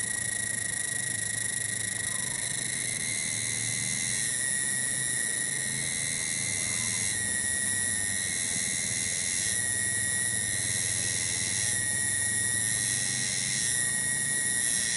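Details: Cicada (tonggeret) in a garden at Kampung Bunder, Cibening village, Bungursari, Indonesia, holding a steady high buzzing drone with tonal bands that shift slightly in strength every couple of seconds, over a faint low rumble.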